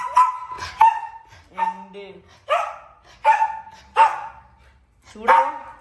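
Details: Pomeranian puppy barking at home in a series of sharp, high yapping barks, about six spaced through the stretch, while a woman talks to it in Malayalam between barks.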